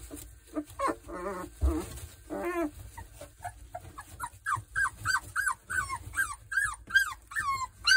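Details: At three weeks old, Boerboel puppies from the Kodak and Rhianna breeding whine and squeal. Two drawn-out wavering cries come early, then a quick run of about a dozen short, arching high yelps, each rising and dropping, with light scuffling beneath.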